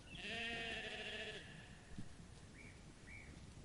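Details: Sheep in a meadow while eating grass: one long wavering bleat of about a second and a half with rich harmonics, followed by two faint short higher calls and a low background rustle.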